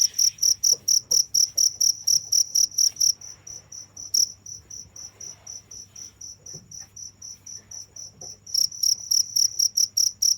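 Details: Cricket chirping in a steady run of short, high, pulsed chirps, about four to five per second; the chirps fade much quieter through the middle stretch, then return loud near the end, over a faint low hum.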